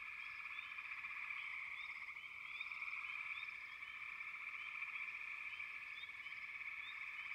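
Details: Frogs calling in a dense chorus: a continuous shrill trilling hum with short rising chirps scattered over it at irregular intervals, steady throughout with no other sounds.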